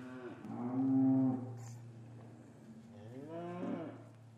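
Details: Cattle in an English farmyard on a winter afternoon, calves kept apart from their mothers; one long, steady, nasal moo, a quiet pause, then a shorter moo that rises and bends downward, with a faint low hum beneath.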